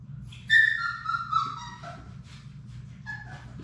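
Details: Puppy whine from a litter of six Labrador Retrievers playing indoors in their puppy room: a loud, high yelp falls into a drawn-out descending whimper, and a shorter whine follows near the end over a low background hum.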